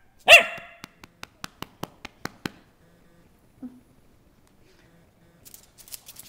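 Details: Single sharp bark from Molly, a pet dog playing around the house, followed by a rapid run of soft regular clicks and near silence.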